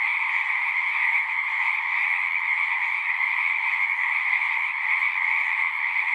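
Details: Frogs singing in a dense, unbroken chorus: a steady wall of overlapping high trilling notes in two bright bands, so constant that no single caller stands out, with no other sounds.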